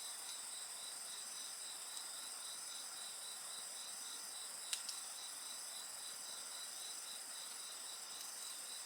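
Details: Night chorus of insects beside a bonfire: steady high ringing bands with a softly pulsed trill layered over a constant shimmer, broken by a couple of sharp crackles from the fire near the middle.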